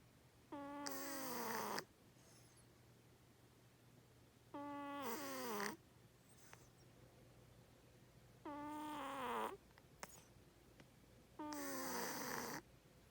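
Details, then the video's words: Domestic cat snoring loudly in its sleep inside a room, four rough, resonant breaths roughly every three to four seconds, each with a dipping, rasping tone and brief quiet between. "My Cat Cleo Snoring So Loud"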